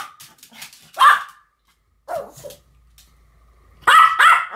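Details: Two Pomeranians, Sam and Marin, bark together in a duet: a few sharp, high yapping barks in short bursts separated by quiet gaps, with one drawn-out whine-like bark.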